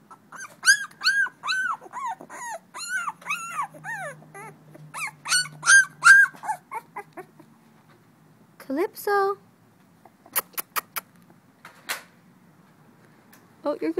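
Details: Calypso, a female blue-nosed American Pit Bull Terrier puppy two weeks old, recorded 21 December 2011: rapid high, arched squeaky whimpers for about seven seconds, followed by sparse sharp sounds and a person calling her name.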